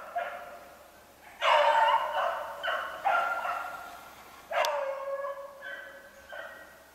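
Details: Hunting beagles trailing a snowshoe hare, 3/8/16: loud, long, ringing bays overlap at the start, then a sharp crack and a few shorter, fading howls.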